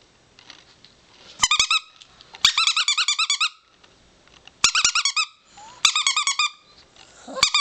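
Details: Four-year-old pet chihuahua howling indoors in short bursts of rapid, wavering high-pitched yips that rise and fall, separated by pauses of quiet room noise and a few sharp clicks.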